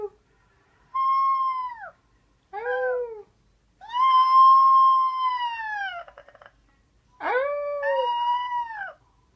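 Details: A 4-week-old wolf pup, just finding his howl, gives a series of thin, high howls, each swelling then sliding downward.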